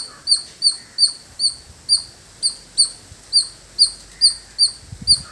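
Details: Village squirrel uttering clear, shrill single chirps at a slower pace, roughly one per second, each note sharp and bright, over light background hiss.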